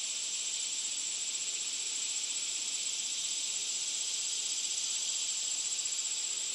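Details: Cicada producing an unbroken shrill buzz, high and hissing, with a fine rapid pulsing texture throughout and nothing else clearly heard.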